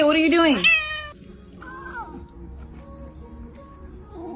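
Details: A house cat caught stealing food gives a loud, strained meow that rises then falls, lasting under a second, followed by quieter human voices and faint room sounds.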